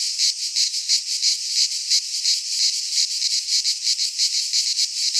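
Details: In a Greek pine forest at midsummer, cicadas produce an unbroken high-pitched buzz that throbs in quick regular beats, about three per second, filling the whole recording.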